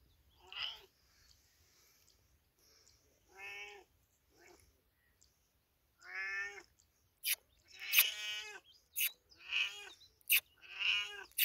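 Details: Cat in village life giving a string of nasal harmonic meows, spaced a few seconds apart at first, then closer together, mixed with sharp clicking or knocking sounds near the end.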